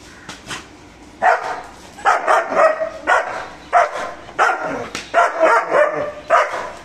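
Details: Guarding German Shepherd named Mr. Bro gives aggressive barks: after a quiet start, a run of about nine gruff, forceful barks, some doubled, coming in quick irregular bursts.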